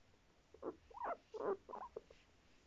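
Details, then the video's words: Guinea pig from a pet family of parents and young, giving a run of five or six short squeaky chirping calls spaced about a quarter second apart over a faint background hiss. "モルモット鳴き声❤️Guinea pig barks"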